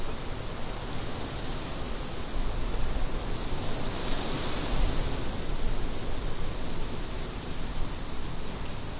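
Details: Steady high cricket chirps, repeated in an unbroken rhythm, over a heavy low roar of wind that strengthens after a few seconds.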